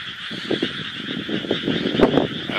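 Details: Night-time chorus of frogs, quieter than on other nights; rapid low croaks repeat in clusters of short pulses over a constant high drone, with a sharper burst near the end.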